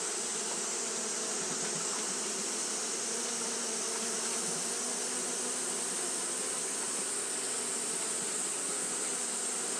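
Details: Japanese honey bees fanning throughout a hot day: a ten-second stretch of steady droning hum with a slight pulsing texture. A constant shrill hiss lies over the buzz, and no other animal stands out.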